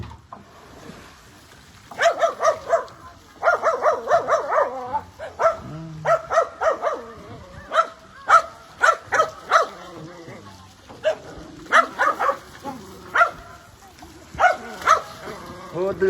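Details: Pet dogs taken swimming bark in quick bursts, short sharp yaps coming in clusters of two to four with brief gaps, now and then a lone bark, over some Khmer voices in the background.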